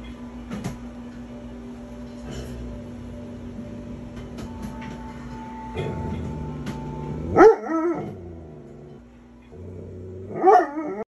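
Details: Doberman Pinscher barking while watching TV; two short, sharp barks near the middle and end, each rising then falling, over steady television sound with a constant low humming tone and occasional clicks.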